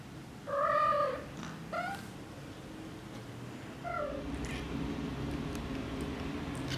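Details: Kittens nearly three and a half weeks old, from a litter exploring outside their nest and resting among piglets: three short, thin, steady mews, two close together early on, another after a pause, over a low rumbling background.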